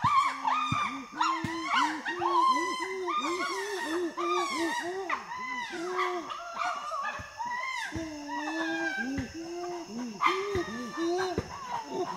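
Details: Chimpanzee pant hoot turning into loud screams: a dense run of rhythmic arched hoots with overlapping shrill screaming, sustained for about twelve seconds with barely a pause.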